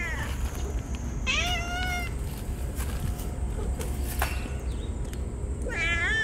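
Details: Stray cats crying loudly while rubbing against each other as they are fed on a scorching hot day; two drawn-out harmonic meows, the second wavering, over steady low outdoor rumble.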